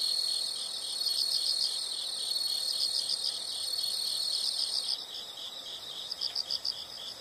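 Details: Chorus of insects in nature, high and shrill, with a sustained thin tone over rapid pulsed chirps that break into separate bursts near the end.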